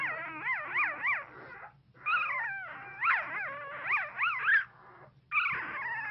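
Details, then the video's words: One-week-old newborn pit bull puppy whimpering while dreaming in its sleep: high, wavering whines and squeaks rising and falling in quick bursts, several in a row, with a short pause and a final whine. "Newborn puppy makes adorable sounds during intense dream"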